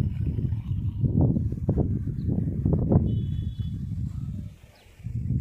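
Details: Wild boars strolling during a 2020 snowfall in Murree, heard as a run of low, rough grunting bursts packed closely together, then a short lull before the grunts resume at the end.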